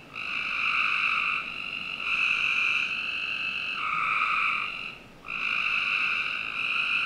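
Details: Almost nonstop frog trilling at night in summer, from the backyard of a Northern Virginia home, where overlapping buzzy calls follow one another with barely a gap except one brief silence midway.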